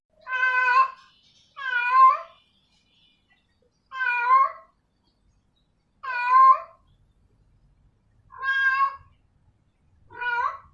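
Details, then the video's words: Female domestic cat calling a male: six drawn-out, rich harmonic yowls, each under a second, separated by pauses of about one to two seconds, in a quiet room. "sound of a female cat calling a male cat"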